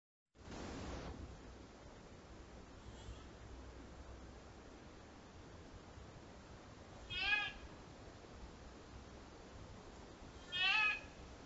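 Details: A white-tailed deer fawn on a trail camera in Tomahawk, Wisconsin, early September 2022, gives two short, high, nasal bleats about three seconds apart over steady outdoor hiss, after a brief rustle.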